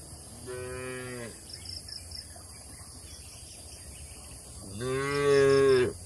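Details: Tame cattle in a village shed in Indonesia give two harmonic moos several seconds apart, with faint high chirping in the background.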